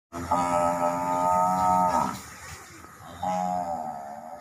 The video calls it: ম‌হি‌ষের ডাক l Buffalo sound effect l Mohisher Dak l